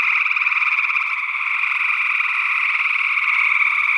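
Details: Northwest Wisconsin gray tree frog chorus from early June 2022: dense, rattling trills overlap without pause into an even, buzzy hum, with perhaps a spring peeper or other second frog species blended in.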